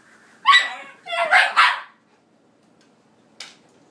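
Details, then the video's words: Shiba Inu named Zsa Zsa, worked up by a headphone cable spun in the air, gives one sharp yelping bark and then a longer burst of two or three rising, yowling barks, followed by silence and a faint click. "Shiba Goes Crazy"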